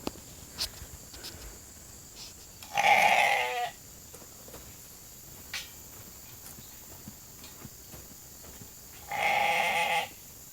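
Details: Hungry sheep flock being called into a holding pen for their evening grain feed; two loud bleats about six seconds apart, each roughly a second long, with clattering and small knocks between them.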